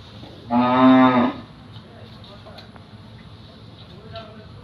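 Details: A single cow moos once on a cattle farm at Sabdi, Bandar, Narayanganj, Bangladesh: a loud, harmonic low moo lasting under a second, followed by quiet background and faint farm sounds.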